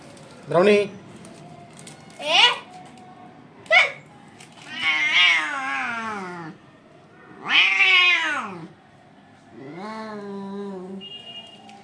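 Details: Hungry kittens meowing for the mother cat: short sharp mews followed by longer drawn-out, plaintive cries that bend up and down, repeated every couple of seconds.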